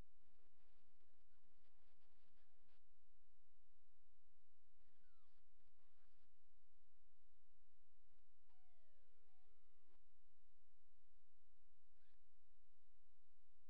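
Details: Young coyote pups, all males, just old enough to walk and open their eyes, give thin high whines. One long, harmonic, falling whine comes near the end, with shorter squeaks before and after, over soft scuffling and low background hiss.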